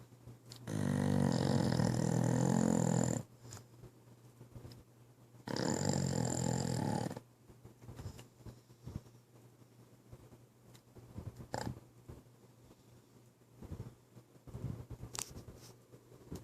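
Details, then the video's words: Pit bull Kai asleep, giving two long, loud, rough rumbling snores of about two seconds each, separated by quiet, followed by faint soft breathing and small clicks. "Pit Bull Dog Snoring"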